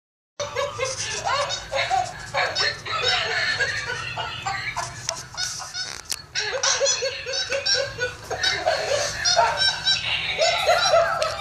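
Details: Pet capuchin monkey named Instinct, play fighting with a toy monkey and described as laughing: dense, almost continuous bursts of squeaky, chattering calls with stacked harmonics, coming in rapid uneven runs over a steady low hum.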